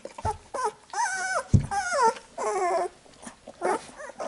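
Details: Newborn Labrador Retriever puppies being cleaned by their mother after nursing: drawn-out, wavering whines and squeals, some rising then falling, come in bursts of about half a second. Brief pauses separate them, and there are soft licking sounds.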